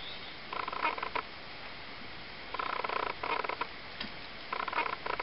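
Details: Three-week-old Ocicat kittens, a litter of three females and one male, produce short buzzy, pulsed vocal bursts rich in overtones, three bouts spaced roughly two seconds apart, with faint background hiss between them.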